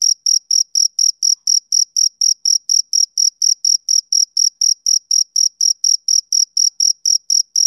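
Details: A male cricket chirping on a summer evening: piercing high pulses repeated briskly at around four per second, steady and even, with silence in between.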